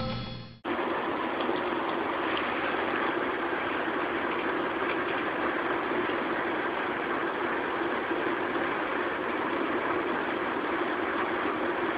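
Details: After a brief quieter opening, a continuous engine-like broadband roar drowns everything, with no animal calls standing out.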